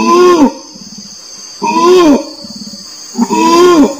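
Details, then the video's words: Three orangutan calls, each a half-second harmonic note bending down at the end, separated by quiet low murmuring pulses, with a steady faint high tone behind. "SUARA ORANG UTAN (suara binatang)"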